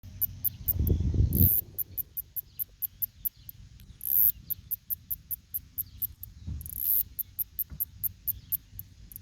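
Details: Northern snoring cicada (Kikihia cutora cutora) from New Zealand, a male's song said to sound like a person snoring. Sharp high ticks repeat about three per second, broken by two longer hissing bursts, over a low rumbling background with a thump early on.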